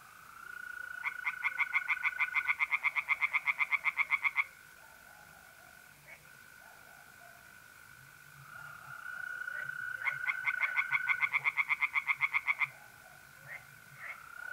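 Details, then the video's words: Night pond in north-east Italy, mid-April: tree frogs give bursts of quick, evenly spaced rasping croaks lasting a few seconds, separated by pauses where the steady whistled trill of mole crickets carries on alone. "relaxing singing tree frogs in pond and trilling mole crickets by night"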